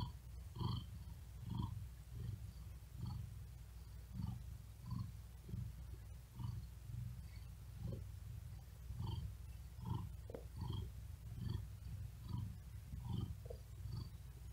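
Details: Tired cat resting on a cool wooden desk in hot weather, breathing fast and heavily, purring in a deep, steady throb; low pulses rise and fall roughly seventy times a minute, with faint breathy hiss above.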